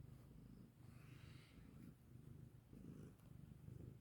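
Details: Cat that has come to its mother's voice and is sniffing about, giving a faint, low, rumbling purr that pulses steadily throughout, with a little soft rustling.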